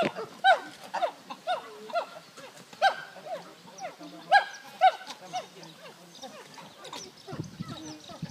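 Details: At the Ngamba chimpanzee sanctuary, chimpanzees (Pan troglodytes) give a busy chorus of rising and falling hoots and squeals, roughly two a second.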